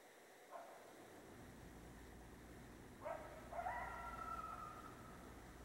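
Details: Coyote howling at night, a faint bark then a rising wavering howl that levels into a long steady tone, over a low background hum.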